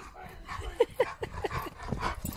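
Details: Dog named Trooper playing tug-of-war over a stick with its owner, giving short rising whiny yelps and strained grunts in quick succession, with a person's voice in the background.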